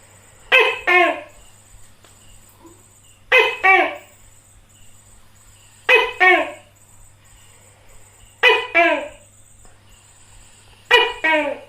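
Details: Five evenly spaced calls from a tokay gecko (tắc kè), each a loud harmonic bark split into two parts, the second lower and falling, recurring about every two and a half seconds over a faint high hiss.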